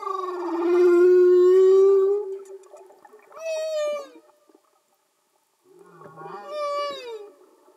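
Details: Humpback whales singing underwater, filmed with Panasonic and Sony cameras in Easydive housings: a long, slightly rising moan of about two seconds, then two shorter harmonic calls that slide downward, each separated by brief silence.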